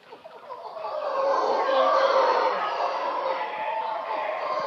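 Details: Wild howler monkeys at a boat yard in Shelter Bay, Panama: a dense, rasping roar that swells over the first second, then holds as a continuous broad, breathy chorus with no clear breaks.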